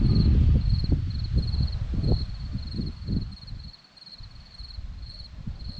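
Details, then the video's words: Crickets on a hillside at Zorlesti, Romania: a high, thin chirping in short pulsed bursts, roughly two per second, runs steadily over loud low rumbling from wind or handling. "Crickets sound"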